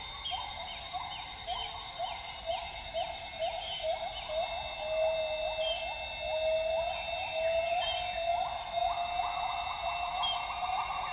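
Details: Wild northern grey gibbons at dawn in Tawau Hills Park, Sabah, Borneo rainforest: a long run of quick rising whoop notes accelerating into dense bubbly calls, with constant insect buzz and distant birds behind.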